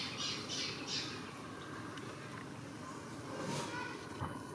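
A rhesus macaque gives a few harsh, high squawks in quick succession, then quieter scattered calls.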